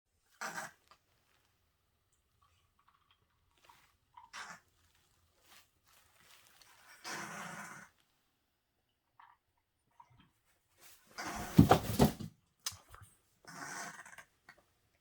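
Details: Senior feral female cat living with cancer for years, already tested for polyps, breathing with irregular short gasps and snorts separated by quiet gaps, one louder rasping burst near the end, and a person speaking softly to her.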